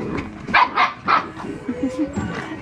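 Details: Red and black standard poodle puppies, almost 8 weeks old, playing together indoors on a rainy day: three quick yappy barks, then softer yips and squeaks, with background music throughout.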